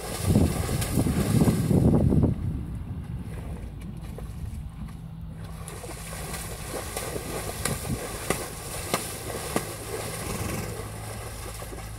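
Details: Splashing water and wind noise dominate, loudest in the first two seconds, followed by lighter sloshing and small knocks; no animal voice is heard.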